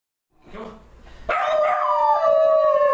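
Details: A pet dog howls: after a soft murmur, a loud sustained tonal howl begins, sliding gently downward and holding steady with rich harmonics, voiced indoors.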